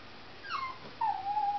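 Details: Pet dog whining hysterically with excitement over a cat outside; a short high whine falls in pitch, then a steady, thin whimper held for about half a second, in a quiet room.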